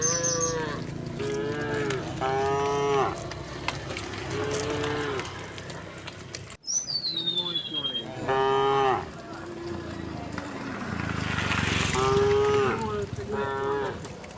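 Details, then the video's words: Gentle resident cows roaming a road call repeatedly, with many overlapping moos of varied pitch and length, one briefly interrupted by a cut, and a falling bird whistle mid-way over steady rural background noise. "the sound of cows mooing"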